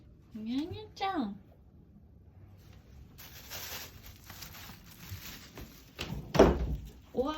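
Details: Drawn-out "haooon" cries from an American Shorthair house cat on its fourth day: two quick meows that rise and then fall, followed by rustling, hiss-like noise and knocks in a small room.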